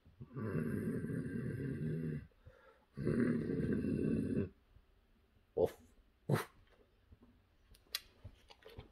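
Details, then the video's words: Boxer dog indoors during a kissing contest with its owner, giving two long, rough, rumbling growls of about two seconds each, followed by a few short sharp bursts and quieter rustling in a small room. "Kissing Contest With My Boxer!"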